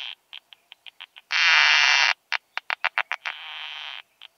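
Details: Isophya costata singing at Zitzmannsdorfer Wiesen, Austria, on 1 June 2020, captured with a Pettersson D 100: evenly spaced sharp pulses around a loud broad buzz, then a further pulse series leading into a softer sustained hiss.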